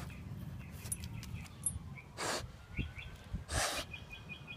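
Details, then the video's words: Basset Hound sniffing and snorting outdoors: two strong, airy snorts in the second half, preceded by small sniffs, with light bird chirps and a low background rumble throughout. "Basset Hound Sniffing and Snorting"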